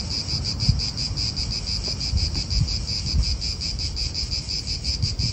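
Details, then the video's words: Cicadas call from an Italian park in a bright, throbbing high buzz with quick steady pulses, set against scattered low wind rumbles and thumps. "Cicadas wind real atmosphere in an Italian park"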